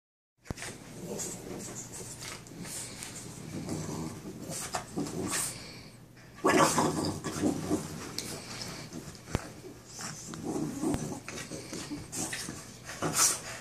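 Two Boston Terriers at play, making snorty grunts, rough little growls and breathy huffs.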